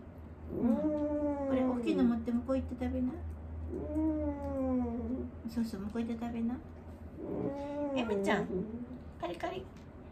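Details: Wanta, an elderly dog in care who cries out and flails his legs while awake, gives long quavering moans that rise and fall, in three main bouts across ten seconds. A woman's voice and a low indoor hum sit underneath.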